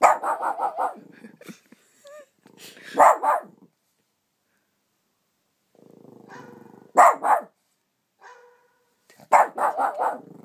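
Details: A pet Shih Tzu named Roxy objects to a new phone app. Loud runs of sharp, clustered barks break out between the app's steady beeping and chirping tones, with quiet gaps between the outbursts.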